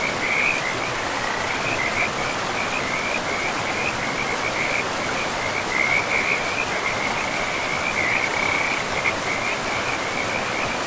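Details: Frogs calling beside a river in a pristine, moss-covered forest: a steady chain of rapid, high, rattling trills that blur into near-continuous chatter, laid over the constant broad hiss of rushing river water.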